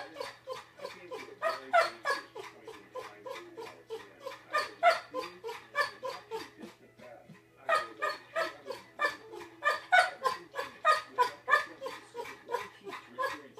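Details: Male yellow Labrador Retriever at home, vocalizing back to his owner after mixing up the bed, as if explaining himself: rapid runs of short, harmonic woofing yowls, about three per second, with a brief pause midway before the chatter resumes.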